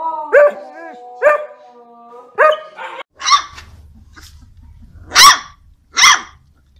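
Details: Dog giving a few yelping barks with tonal, whining edges, followed by sharper, higher, more widely spaced barks about once a second, with a low rumble underneath in the second half.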